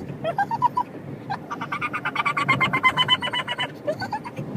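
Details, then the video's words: A pug riding in a car, which he loves, gives high, squeaky, dolphin-like whines in quick repeated bursts over a low engine rumble, as he does throughout car trips. "Pug makes dolphin noises in car"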